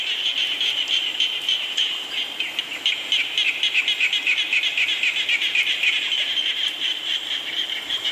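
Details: Chorus of many frogs during rainfall, with quick rattling pulses repeated roughly four times per second, layered into a shimmering high drone over a steady wash of rain.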